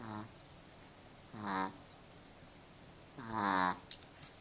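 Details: A pet dog snoring: three nasal, harmonic snores, each a short, slightly falling tone. The second and third come about two seconds apart, with a quiet background between them.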